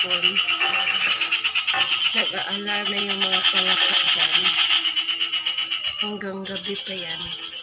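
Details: A frog gives a nearly continuous rattling trill of fast, even pulses over several seconds, pausing briefly once. Lower steady tones, possibly a human voice, run underneath.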